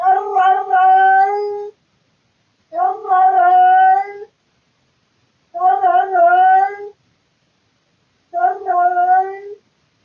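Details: Male domestic cat yowling loudly in the middle of the night at home, out of boredom, recorded on a surveillance camera. Four strong cries, each starting with a stuttering onset and then holding a long, even tone. They repeat about every three seconds.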